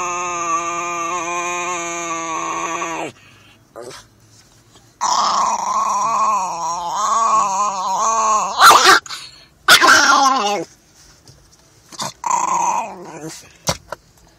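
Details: A chihuahua described as mean, giving a drawn-out, steady harmonic whine for about three seconds, then a wavering, quavering tone, and short broken bursts near the end.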